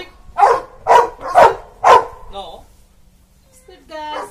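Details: Labrador Retriever in training in Karnataka, India, barking four short, sharp, loud barks about half a second apart, then a brief pause before a man's voice is heard.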